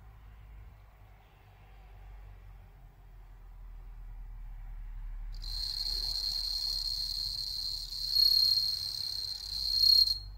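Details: Bell crickets bred in captivity in Hokkaido, Japan, kept indoors near watching cats; a low room hum fills the opening, then a piercing high ringing trill starts suddenly and sounds steadily for about five seconds over the hum.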